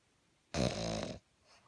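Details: Small male pug sleeping at night, snoring loudly enough to disturb the household's sleep; a single harsh, buzzing snore lasts under a second, followed by a faint breath.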